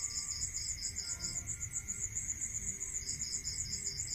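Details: Rural night scene of crickets: two overlapping shrill pulsed trills, the lower one pausing briefly near the middle before resuming, set against a steady hum and soft low background noise.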